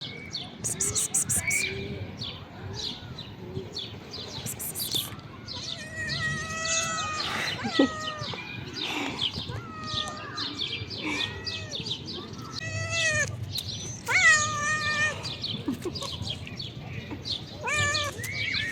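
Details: Hungry stray calico female cat on a river bank being fed dinner, giving a run of tonal, arching meows that rise and fall, some drawn out, mixed with human voices and faint bird chirps in the background.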